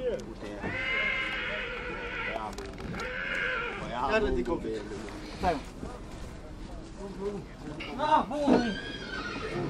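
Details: A mare at Satu Mare whinnies in two bright, shaky bursts near the start, each about a second long, amid steady people's talk, with clapping and music around the scene.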